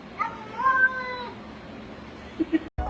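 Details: Talking domestic cat producing a wavering meow that climbs and then drops, followed by quiet, two short low knocks and an abrupt cut in the sound.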